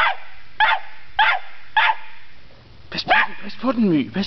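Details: A Cairn Terrier gives sharp, evenly spaced barks at a dead polecat it isn't convinced is dead, followed by a person speaking.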